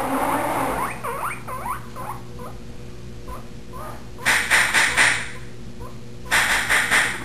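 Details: Pet guinea pig named Spike singing for his supper when the salad spinner is used before feeding: thin rising and falling warbled chirps, then loud rhythmic rustling bursts from the spinner, with a woman talking and soft music.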